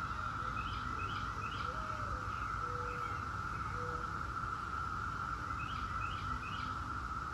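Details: Seventeen-year periodical cicadas of Brood X in a steady, unbroken droning chorus at one even pitch throughout, with bursts of quick bird chirps overhead and a few low whistled bird notes in the background.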